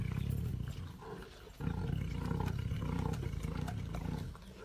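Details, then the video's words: A tiger's heavy, low rumbling roar, grainy and continuous, dropping off for a moment before resuming strongly and tapering slightly at the close. "SUARA HARIMAU"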